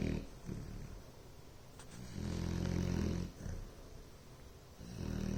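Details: Ellie Mae, a Bloodhound, snores in a low throaty rumble. One long loud inhalation fills the middle of the stretch, with softer breathing before and after it.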